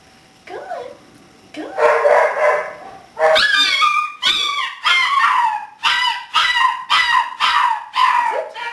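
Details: Six-week-old English Springer Spaniel puppy during obedience training, one of a litter born in November, filmed in December; a series of high, strained yelps and whines, roughly one a second, after opening whimpers.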